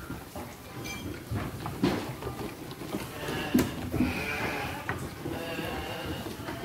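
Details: Garut sheep, five to six months old at 18 to 23 kg and intended as qurban or aqiqah sacrifice, giving faint, thin bleats in the second half, partly buried under low background noise and occasional knocks.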